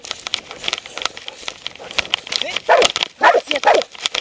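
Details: Doberman wearing a body-mounted camera outdoors; rustling and handling noise fill the first half, then three short, loud barks sound in quick succession near the end.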